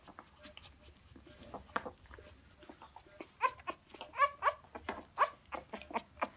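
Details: Rottweiler puppies 17 days old whimper with thin, high squeaks and short whines, repeated irregularly; finding: Rottweiler.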